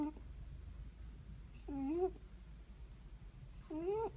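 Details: Nasal snoring of a sleeping Netherland Dwarf rabbit, two thin upward-sliding squeaks about two seconds apart, each with a soft breathy edge, set against a low steady hum.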